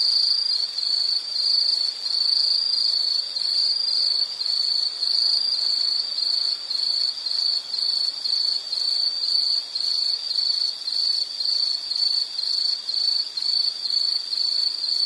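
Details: Insect chirping from a nature soundscape: high, shrill trilled bursts repeating about twice a second with short gaps between them, very regular and continuous over fifteen seconds, fainter ticking insects above.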